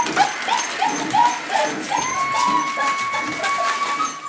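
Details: Boerboel puppies at week five with mother Cleo: a run of short chirping whimpers, then one pup holds a long, steady, thin whine for about two seconds.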